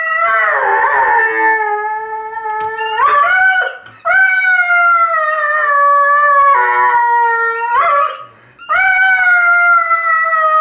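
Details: Irish Red and White Setter, a male dog, howling along to his own squeaky football. Sustained, harmonic howls hold steady or droop gently, three long phrases separated by short gaps. Shrill, curving toy squeaks punctuate each break.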